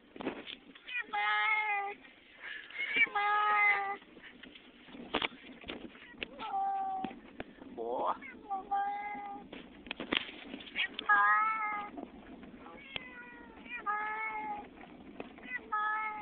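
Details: Domestic cat freaked out while travelling to a new house, meowing repeatedly in strained, wavering calls, some two-syllable and speech-like, about every two seconds, with clicks and low rumbling of the journey underneath.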